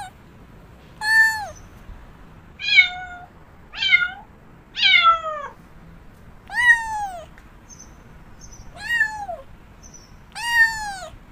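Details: Domestic cat repeating loud, plaintive meows roughly every second or so, each bowing upward then sliding down, some sharper and higher, with quiet pauses between calls.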